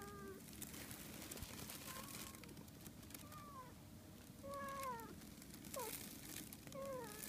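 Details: Two Siamese cats, a male and a female keeping their distance after his sudden cat punch, give a string of short, quiet meows, some rising and others falling.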